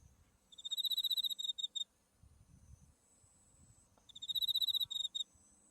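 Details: Autumn insects in a field of white buckwheat flowers near Mount Tsukuba, Japan: a cricket-like chirping trill of rapid high pulses in two bursts about a second long, with a faint steady high whine and soft low rumble.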